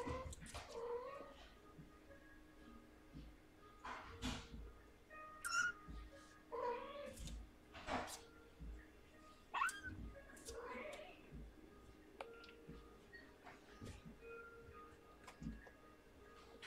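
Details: Mother cat in rescue care with her newborn kitten: soft, scattered mews with a slight upward bend, each under a second and recurring every one to three seconds, mixed with rustling and a low steady hum.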